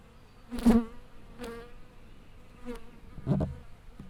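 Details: Honey bees at a wild natural hive in a big old tree, flying past at close range: four short, loud droning buzzes, each under half a second with a low rich hum, spaced irregularly across a few seconds over quiet background.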